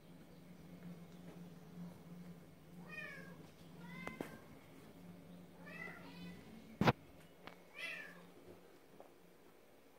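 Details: Maine Coon cat. A male Maine Coon meows repeatedly, each call a brief arched note that rises and drops again, some softer and chirpy. A sharp knock and a steady low indoor hum sit underneath.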